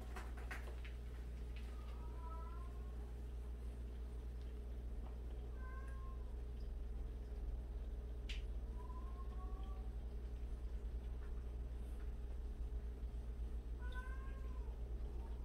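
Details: Meowing cat from a group of 76 abandoned and street cats kept together; four clear, drawn-out meows, spaced a few seconds apart, sliding downward at the end, over a constant low electrical hum.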